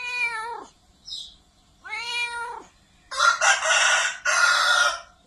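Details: Loud cat meows, two drawn-out cries that slide downward at the end, followed by two harsh broad noise bursts.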